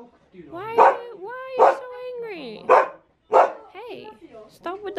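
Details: A male Akita Inu, met by a visitor in Aomori, Japan, keeps barking at her while she asks why he is so angry and tells him to stop. Four sharp barks are spaced about a second apart, mixed with her talking.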